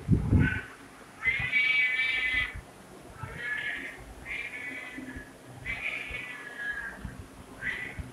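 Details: A domestic cat meowing repeatedly: a long sustained meow followed by several shorter ones, over a steady low rumbling background and a brief thump at the start.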